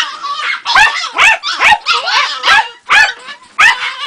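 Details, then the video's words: Young Jagdterrier pup, two and a half months old, producing a quick series of shrill, wavering yelps and whines, roughly two per second, each note curving in pitch with harsh upper tones. "Jagdterrier Ega P 2 luni jumate"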